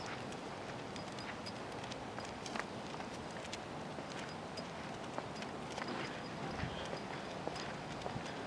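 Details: Horse walking around a residential neighborhood, its hooves giving sharp, irregular clip-clop clicks over a steady hiss of outdoor background noise.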